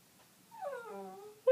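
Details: Fritzy, a male pet dog, whimpers at night in bed indoors: a single whined note sliding down from high to lower pitch over about a second, rich in overtones, then a sharp knock at the end.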